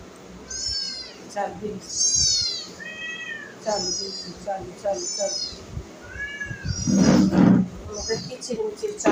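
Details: Pet cat meowing over and over. The high, arching mews come every second or so, some in quick pairs. A person speaks in the background, and a louder, rougher burst comes near the end.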